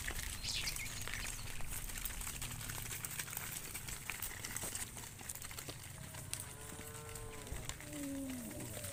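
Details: Cows being driven by shepherds toward the farm pen: a low, steady moo near the start, then a longer harmonic lowing call that bends downward near the end, over constant outdoor rural background noise with faint bird chirps.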